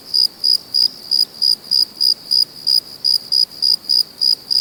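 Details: Crickets calling at night with clean, shrill chirps spaced evenly about three per second, each a short ringing pulse, steady throughout against low background hiss.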